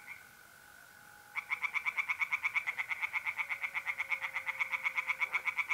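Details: A mole cricket's steady trill runs alone at first. Then a tree frog in a pond in north-east Italy starts a fast series of harsh knocking pulses, about seven a second, on a mid-April night.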